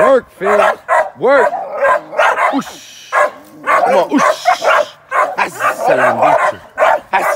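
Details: Young American Staffordshire Terrier sporting dog worked in training before ADBA shows, giving repeated excited barks, some opening with rising whiny yelps, while a person talks and encourages it between barks.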